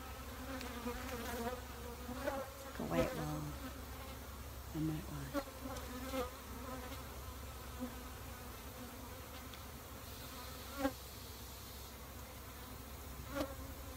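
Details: Humming of many honey bees around a bee shed, a continuous low droning buzz rich in overtones, with frequent brief louder surges as single bees fly close past, some clicking knocks and a faint low rumble beneath.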